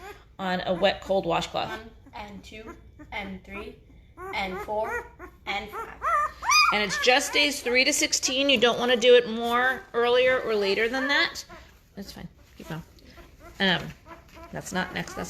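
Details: Five-day-old Great Bernese puppies, a cross of Great Pyrenees mother Lacey and Bernese Mountain Dog Castle, getting noisy: overlapping high, wavering whimpers and squeals, several pups crying at once, with short quiet gaps between bursts.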